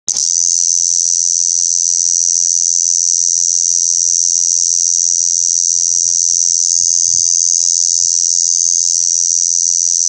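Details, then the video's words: Lyristes bihamatus cicada, a northern species that moved into Japan from the Sakhalin direction, recorded 18 August 2018: a continuous, loud, high-pitched shrill buzz held steadily throughout without breaks, with a faint low hum beneath. "コエゾゼミ koezozemi"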